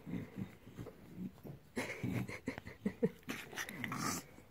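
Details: Bulldog growling while having its belly rubbed: low, rough, broken growls in short bursts with a few sharper higher grunts, and a person's voice nearby.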